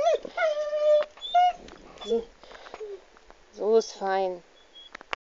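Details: Ole, a pet dog, vocalizes while his owner strokes and caresses his butt and hips, sounding dangerous but just enjoying it: drawn-out tonal moans and whines with rich harmonics, in several separate bursts broken by short pauses.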